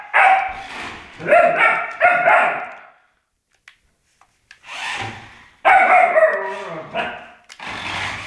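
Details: Malamute puppy with an electric car, giving bursts of harsh, whining, yodel-like barks in two bouts separated by near silence with faint clicks.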